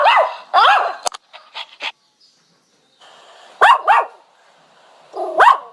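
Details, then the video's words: Dog whining: short, sharp, falling yelps in quick pairs, a few faint clicks, then more paired whimpering cries after a brief quiet gap. "Dog Whining Sound"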